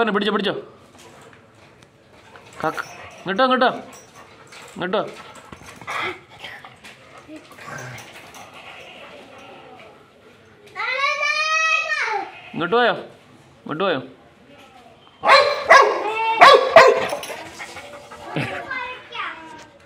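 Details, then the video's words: Labrador Retriever puppy giving a drawn-out, high, arching whine midway, with short yelps and snuffly bursts scattered before and after, while people talk in the background. "labrador puppy"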